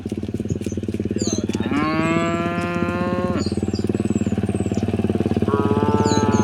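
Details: Village cattle heading home in the morning: one loud, long moo with rich harmonics, then a second lower, steadier moo over a pulsing rhythmic rumble, with sharp bird chirps overhead.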